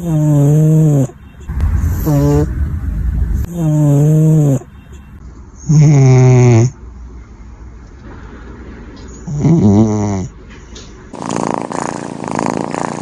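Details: Sleeping cat snoring: loud, drawn-out nasal snores with a wavering, slightly rising tone, coming in bursts about every two seconds with quiet breathing between them, ending with a stretch of broad rustling noise.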